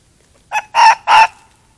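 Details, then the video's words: Fox at night in the woods, screaming while running toward a trail camera: one short harsh burst, then two longer raspy, strained screams in quick succession, each about a third of a second, with silence around them. "Screaming Fox at Night in the Woods"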